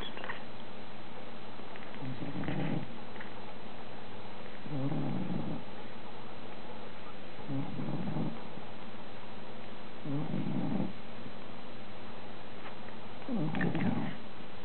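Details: Two male Bulldog pups, one day old, one charcoal bluish and one chocolate, nursing on their mother Molly after her c-section; low snuffling grunts come in five short bursts, roughly every two to three seconds, over a steady low hum.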